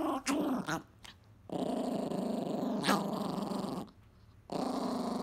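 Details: Angry Chihuahua growling while protecting his pizza crust indoors: long, rough, rumbling growls with harmonic stacks, broken by short gaps, a few sharp clicks and a brief higher snarl in the middle.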